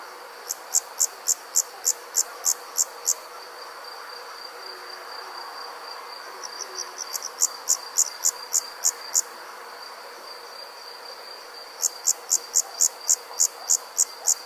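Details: Insects calling on a summer night in the country: three bouts of rapid high-pitched chirps, roughly three per second, separated by quieter gaps, over a constant thin high hum from other insects.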